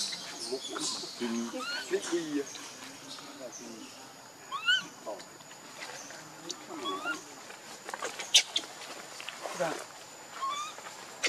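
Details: Baby monkey named Leo crying and begging its mother for milk: thin, high, arched wailing cries, some rising then falling, scattered between soft chattery squeaks, with a steady faint high hum behind.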